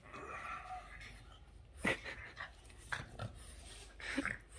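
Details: A Boston terrier suddenly switches from calm to wildly excited, letting out sharp barks amid some whining and huffing.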